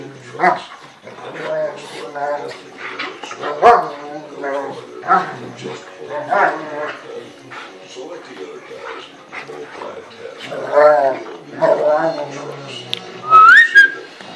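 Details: American Rottweiler and a five-month-old, 60-pound South African Boerboel mastiff play-fighting; repeated harsh barks and growling yelps in bursts, with a rising whine near the end and background sound.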